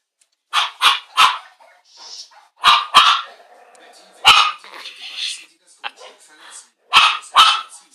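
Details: Chihuahua barking at a television showing a Cesar Millan programme: bursts of three quick high yaps, then scattered single and paired barks over eight seconds, mixed with a person's voice talking in the background.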